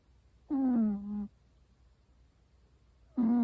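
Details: An American Shorthair cat asleep and snoring: a nasal, droning tone lasting under a second, then a pause of about two seconds before the next breath begins.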